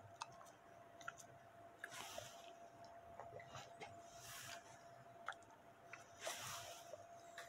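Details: Dog of Bully type chewing steak in ASMR style: soft squishy chewing with several longer broadband wet bursts and occasional crisp clicks, a steady low hum beneath.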